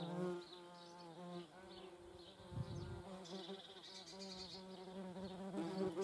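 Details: German wasps at a feeding place: a steady, low droning wing buzz rich in overtones runs through the whole stretch, rising and falling slightly in pitch as the insects hover and move about.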